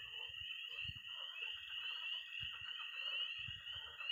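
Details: Night chorus in early spring in Missouri from peeping tree frogs, trilling toads and croaking pond frogs; a steady shrill band of calls with low thudding sounds every second or so.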